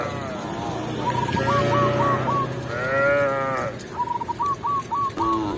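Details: Tame village cows being led back to their pen by a shepherd in a rural setting; two long, arching moos in the middle, with quick runs of short, hooked, chirp-like calls repeating before and after.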